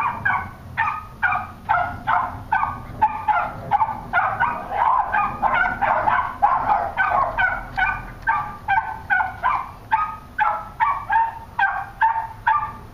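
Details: Cairn terrier and West Highland white terrier, pet dogs, barking rapidly and steadily, about two barks a second, sharp and repeated throughout.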